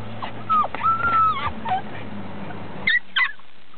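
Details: American Bulldog puppies whimpering: thin, high whines that hold steady, then slide and waver, in several short bursts, with two brief sharp squeaks near the end over a steady low hum.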